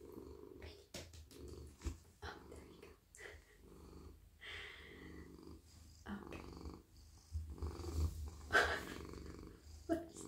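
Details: Friendly, soft male domestic cat melting in a lap as his head, neck and body are stroked at night; a continuous deep, even purr runs throughout, broken by crisp rubbing and scratching noises from the petting.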